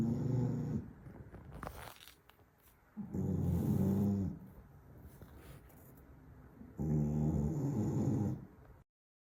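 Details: A snoring Staffordshire Bull Terrier gives three heavy, low, rattling snores a few seconds apart. Brief rustling and clicking sounds are heard between the first two.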